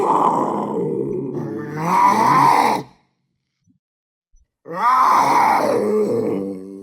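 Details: Two drawn-out, guttural panther growls, the first near three seconds long and rising in strength before cutting off, a pause of under two seconds, then a second rasping groan that trails away.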